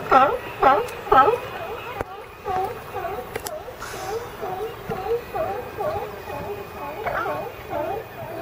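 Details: California sea lions in a group give a few strong, harsh barks in the opening second, then softer, rapid barking continues in the background at about two per second, with faint clicks and knocks.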